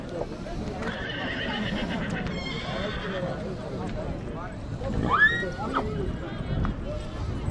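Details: A biting, bad-tempered horse in Dâmbovița, Romania gives a brief arched whinny partway through, while a man speaks over it and background noise continues.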